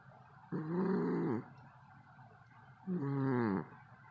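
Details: Male cat asleep and snoring loudly enough to wake his owner: two rasping, buzzy snores, each lasting under a second, about two and a half seconds apart, over a faint steady hiss.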